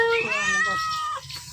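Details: Sleepy domestic cat, comfortable at home, giving one drawn-out meow that starts high, bends down and trails off after about a second, with a faint short sound just after.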